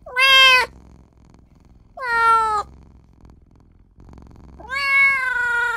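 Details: Newborn kitten crying for its mother and owner: three loud, clear harmonic meows, the first two short and slightly falling, the last longer and rising, with quiet pauses between.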